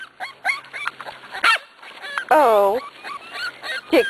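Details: Corgi puppies at six weeks old, now weaned, make scattered little squeaks and then one long, loud, falling whine-yelp. A person talks quietly nearby.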